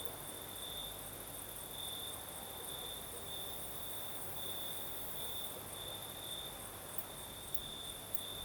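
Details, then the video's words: Crimean crickets at night, southern coast breeze: an unbroken high trill with brighter surges roughly every half second to second, layered over a fine upper hiss and a faint low-frequency wash. "Сверчки поют"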